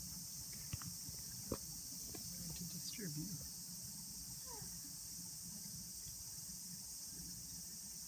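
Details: Numerous cicadas sing near trees holding their shed husks, making an unbroken high-pitched hissing drone, while a person's voice and a few faint clicks are heard underneath.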